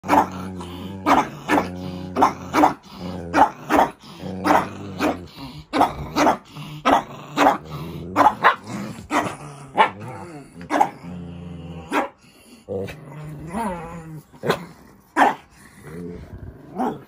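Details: Indoor pet Shih Tzu quarrelling with her sibling after refusing to share her bed. She gives a rapid run of sharp, harmonic-rich barks and growly yaps, about two a second, with some drawn-out whiny notes in between.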